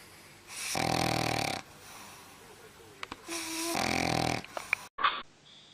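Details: Sleeping dog with loud snores: two long, grating in-breaths about a second each, roughly three seconds apart, separated by quiet breathing, with a few faint clicks and a short knock near the end.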